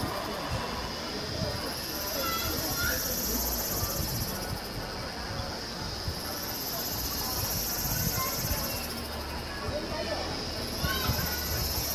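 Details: Kaempfer cicadas singing at a campsite in Namasia, Kaohsiung, on 26 May 2018 around 17:07, recorded with a Canon PowerShot SX720 HS: a steady high shrill buzz with a higher band that swells and fades in slow waves, over low murmuring background noise.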